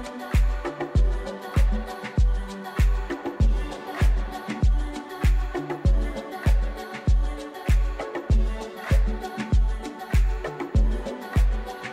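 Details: Upbeat funk-style music driven by a steady thumping beat about 98 times a minute, with no animal sounds.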